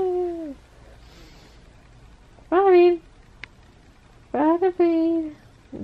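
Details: Butters, a pet cat, meowing in the morning to be petted. Three clear, drawn-out meows with rich harmonics, each sliding downward in pitch at the end, spaced about two seconds apart in a quiet room.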